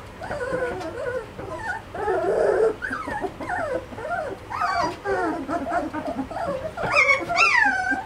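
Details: Litter of Malinois puppies, two and a half weeks old, producing dense, overlapping whines that rise and fall, arched wavering cries from several pups, ending in louder, higher-pitched squeals.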